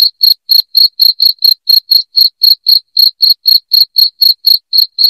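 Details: Cricket chirping loudly, played to drive rats out of a house: short, shrill, evenly spaced chirps, about four per second, steady and clean with no other sounds.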